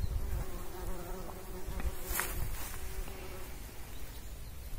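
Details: Pollinating bumblebee humming continuously, a faint even drone with stacked overtones running through the whole stretch, partly masked by low rumbling background noise and a short sharp tick midway.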